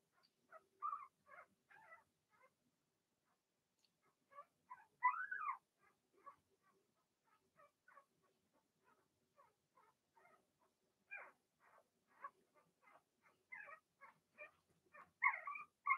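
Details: Six Blenheim Cavalier King Charles Spaniel puppies, Remy's first litter, in a home puppy pen during potty training; many short high squeaks and yelps from several pups, irregular and overlapping, with quiet gaps between bursts.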